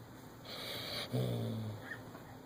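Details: Female Siberian Husky named Majora asleep with her tongue out, giving a single snore: a breathy airy hiss, then a low, rough, buzzy rasp lasting under a second, over a steady electrical hum.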